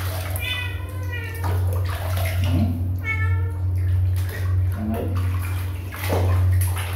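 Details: Two drawn-out, bright kitten meows about two and a half seconds apart, each slightly wavering in pitch, with a constant deep droning hum, soft voices and scattered knocks underneath.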